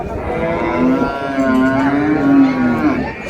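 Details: A long, sustained moo from cattle at Raniganj market, Dinajpur, Bangladesh, where dairy cows and calves are sold; the call stays low and even for about three seconds, wavering slightly, with murmuring market background.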